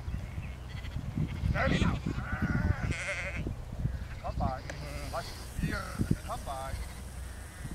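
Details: Lars the four-year-old border collie at work herding sheep in a field; a run of shaky, vibrato bleats in the second half, with voice-like sounds earlier and constant low wind rumble.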